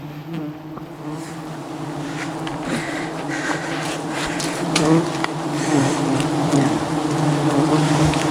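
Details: Thousands of angry wild honey bees surround a climbing honey hunter above the jungle; continuous thick humming drone that swells gradually louder, with faint crackles and scraping sounds throughout.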